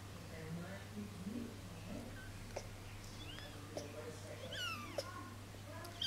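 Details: Three-week-old kitten falling asleep, giving thin high meows that rise then fall, a few in quick succession near the end, over soft human voices and a steady low hum indoors.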